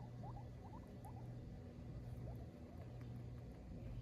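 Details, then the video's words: A female guinea pig complaining that her dinner is late: quiet, short rising squeaks in quick irregular runs, with a steady low hum underneath. "the guinea pig complains about her lated diner"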